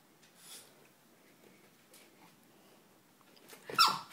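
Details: A male Boston Terrier dancing for its toy lets out a sharp, high bark at the end after a quiet stretch; Boston Terrier.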